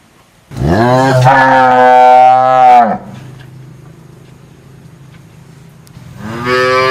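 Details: Loud, deep cow moo lasting over two seconds, starting with a rising groan and holding steady before cutting off; a low rumble follows, then a second moo begins near the end.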